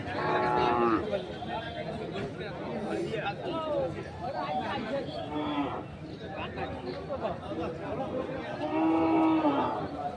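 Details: Ranibandar market in Dinajpur, 30 May 2024, where local-breed milk cows and their calves are brought for sale: a long moo at the start and another near the end, with men talking and general market hubbub between.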